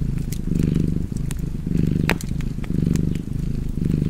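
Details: A cat's low, buzzing purr rising and falling roughly once per second, breathing in and out, while a fire snaps and crackles with bright pops in the background.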